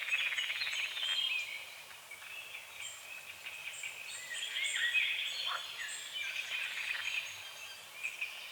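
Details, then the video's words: Frogs croaking at dawn over a small lake on the edge of a forest, morning fog on the water: a dense, rattling pulsed chorus, loudest in the first second and a half, with high bird chirps and whistles layered above throughout. "The sounds of morning frogs croaking"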